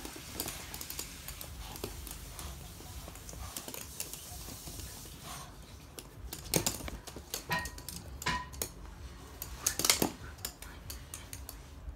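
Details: Clattering dishes, cutlery and pans indoors with sharp clinks and knocks, faint background speech, and no animal voice heard.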